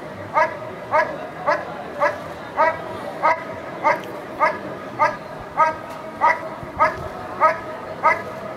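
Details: Steady, regular barking from a dog in protection work at NIAK 2014. Clipped harmonic barks come about every 0.6 seconds, fourteen in all, against low background noise.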